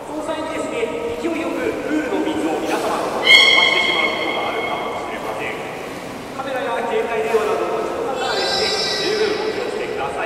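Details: Beluga during a public training session at Port of Nagoya Aquarium, 18 July 2016, 13:30 show: high harmonic whistles, one bright rising tone near the middle and a buzzy harmonic run toward the end, over steady crowd murmur and a speaking voice.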